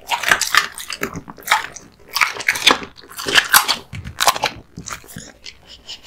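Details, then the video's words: Raw meat and bone being chewed by Kotetsu, a male American Bully (Pit Bull) born in 2016. Crisp bone cracks arrive in clusters about every second, separated by near-silent pauses. "Dog eating Raw Meats ＆ bones"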